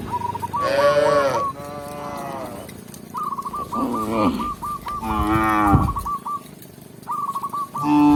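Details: A tame village cow, led by a shepherd back to the pen, gives several loud, drawn-out moos, deep and harmonic-rich, over a steady background drone.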